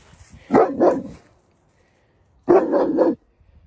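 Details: On a walk in Alberta, Canada, a domestic dog meets a lone coyote and barks protectively at it in two short, harsh outbursts of gruff, growly barks, with a quiet pause between the volleys.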